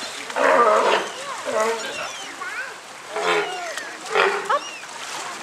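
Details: Sea lions at feeding time in 2014, giving three loud, hoarse barking bursts, the first the longest. Visitors chat and call out close by throughout.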